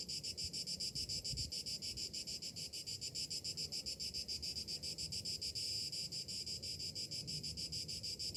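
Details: Cicadas in summer, morning: continuous high buzzing throbbing several times per second, briefly swelling louder near the end, with light low-pitched background noise.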